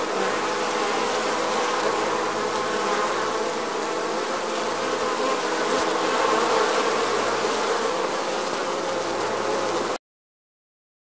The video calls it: bees buzz sound